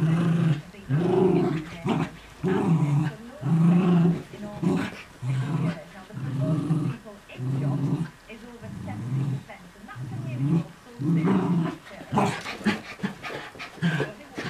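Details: Miniature Schnauzers playing chase and tug in the early morning, one a puppy a week in its new home: low throaty growls in bursts of about half a second, roughly once per second, with scuffles and thumps, busier near the end.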